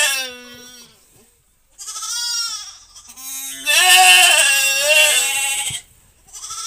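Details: During a helped birth on a farm, the goat bleats repeatedly: four strained, quavering calls, one long and intense lasting over two seconds, separated by brief pauses of near silence.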